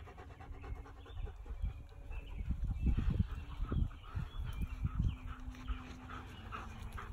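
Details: Wild boar running around a farm field give deep, rough grunts and snorting breaths in irregular bursts; finding: Wild boar.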